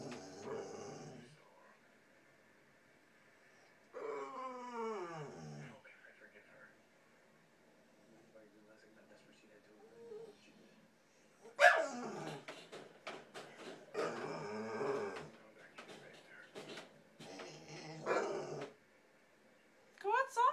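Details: A female Bull Terrier gives strange, drawn-out whines and groans that slide downward, then break into longer warbling bursts, seemingly asking to be let out of her crate though its door was open; a person urges her to go outside.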